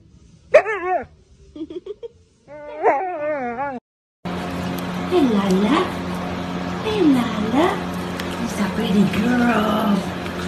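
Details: Siberian Husky in a funny husky compilation: a short burst of wavering, harmonic whines and yodel-like howls over about three seconds, then a pause and background music with swooping tones and a person cooing over babies.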